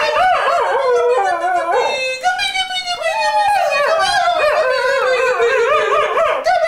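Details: Cocker Spaniel kept as a pet, howling in song with its owner: sustained, tonal notes bending up and down, a lower dip early on, then rapid wavering warbles through the second half.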